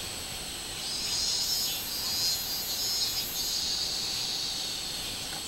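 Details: Robust cicada heard on 24 July 2016: a high, wavering metallic buzz rises and falls in several uneven surges above a continuous hiss of insect noise.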